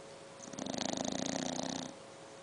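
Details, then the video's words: Seven-month-old English bulldog puppy snoring, a single raspy inhaled snore about a second and a half long, made of rapid buzzing flutters that swell and fade, over a faint steady indoor hum. "Snoring english bulldog puppy"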